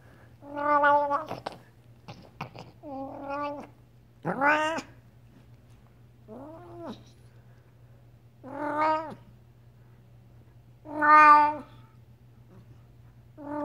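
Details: Talking Devon Rex cat uttering a run of about seven drawn-out, harmonic meows, some rising then falling in pitch, spaced one to two seconds apart, over a steady low background hum.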